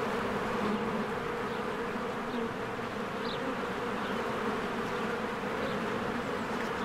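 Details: Honeybees buzzing at their hive in spring as flowers bloom; a constant dense drone with brief pitch shifts from passing bees and a few faint high bird chirps in the background.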